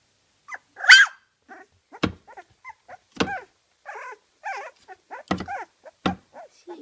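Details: Kooikerhondje puppies, 24 days old, at a kennel in Sweden, giving short high whines and yips, one louder squeal near the start, scattered among sharp clicks and soft shuffling.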